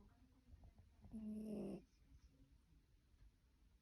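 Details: Sleeping Minuet cat, which snores whenever it sleeps, gives one nasal, buzzy snore lasting under a second, steady in pitch with a rough edge, rising out of quiet room hush and fading back to soft breathing.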